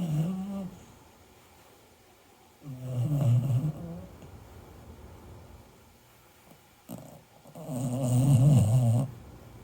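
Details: Sleeping American Cocker Spaniel snoring in a small room, low rumbling rattly snores on each breath, three snores spaced a few seconds apart with quiet pauses between.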